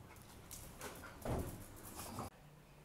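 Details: A Siberian Husky puppy playing with a Border Collie puppy it has known since birth gives short, rough growls and yips in quick, uneven bursts.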